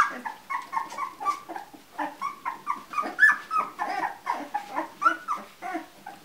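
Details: Soft, steady whimpering from two-week-old Labrador Retriever puppies in a litter: short nasal squeaks repeat several times per second, overlapping into a continuous low chorus indoors.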